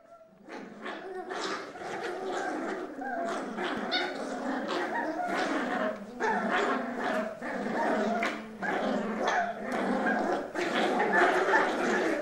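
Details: Four Cavalier King Charles Spaniel puppies, left alone indoors, tug and fight over a sock: a dense, continuous rumble of overlapping growls and snarls with brief pauses, the scuffle never letting up.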